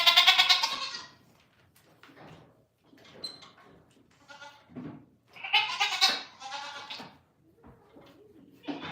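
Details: Morning on a farm with goats: a loud, trembling bleat opens, then soft rustles and murmurs, then two more strong, wavering bleats and a final one starting at the end.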